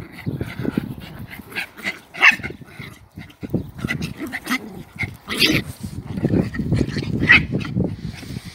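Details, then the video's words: German Spitz mother disciplining her puppy; low rumbling growls and snarls run throughout, broken by sharp yelps and brief higher whimpering bursts, with no gap longer than a moment. "Mom Dog Teaches Her Disrespectful Puppie! (German Spitz"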